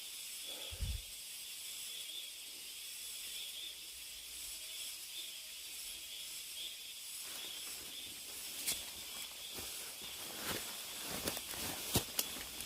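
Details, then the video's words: Cicadas in a deep mountain forest hold a thick, even buzzing wash from start to finish. A hiker's footsteps thump early on, then patter and crackle through the second half. "깊은 산속의 매미소리"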